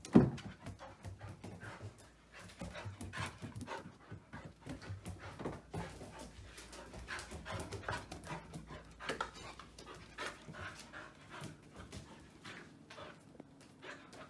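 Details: Oudi, a male Old English Sheepdog puppy about 110 days old and already nearly the size of an adult retriever, pants excitedly indoors. Rapid breathy bursts come irregularly throughout, with scattered thumps and handling noise nearby.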